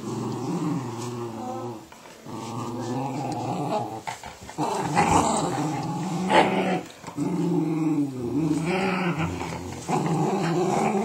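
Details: Patterdale terrier kept as a pet, squaring up to a Border, snarling in long, rough, low growls broken by short pauses, the pitch bending up and down, with an occasional sharper yelp and scuffle.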